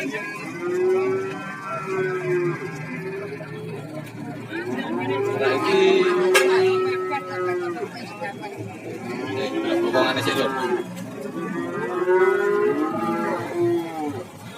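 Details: Cattle at the Warujayeng market, Nganjuk, mooing repeatedly among market bustle; several shorter moos come and go over the stretch, overlapped by talking, background music and crowd noise.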